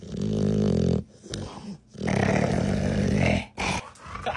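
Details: Pet dog making silly noises while relaxed and being stroked indoors: two long, low, harmonic groaning, growl-like moans, each about a second or more, with a woman talking softly between them.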